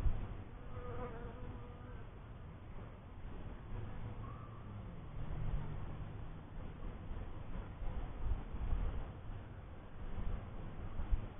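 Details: Honey bees in a first hive, a dense low steady hum with faint wavering tones drifting higher early on and small swells in loudness throughout.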